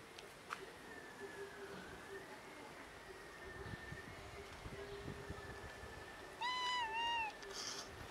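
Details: One of two cats trying to tell its keeper something gives a single clear, slightly wavering meow near the end. Before it, a steady electrical hum and low room noise.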